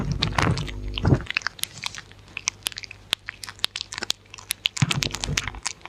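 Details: Close-up dog eating with no talking. Heavy, thumping bites open and return near the end, with lighter crisp chewing clicks between them in a quiet indoor space.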